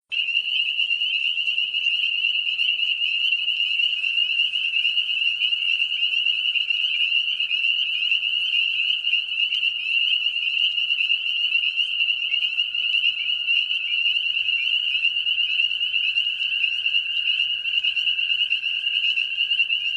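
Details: Spring peeper (Pseudacris crucifer) mating-season chorus: dense, high, piercing peeps merging into one continuous ringing shrill.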